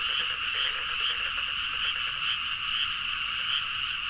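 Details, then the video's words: Many frogs calling together late at night in rice fields near Nagaoka, Niigata, Japan; steady unbroken croaking chorus with layered high bands and quick pulsing clicks underneath, no other sounds. "The frog sound at mid night (環境,自然音 -深夜のカエル大合唱-)"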